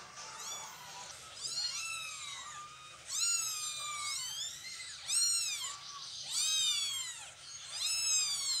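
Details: Cat meows while a mother cat moves her kittens: a run of arched, harmonic-rich meows, some short and some drawn out, rising then falling, coming every second or so with brief quiet gaps.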